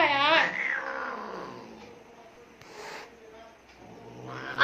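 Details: Jealous house cat giving a drawn-out, wavering meow at the very start, followed by a person speaking and calling in a small indoor room.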